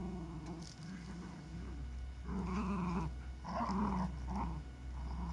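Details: Lakeland terriers Holly and Ville at play in warm summer weather; low rumbling growls rise and fall in uneven bursts over a few seconds, with soft background noise.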